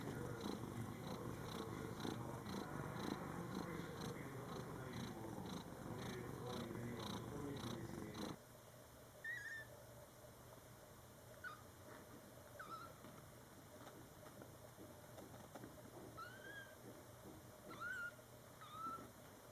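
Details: ['Indoor cat family, a mother cat tending her month-old Scottish Fold kittens born July 22, 2012: loud rumbling purr for eight seconds, then quiet with several thin, high, rising kitten mews scattered through the rest.']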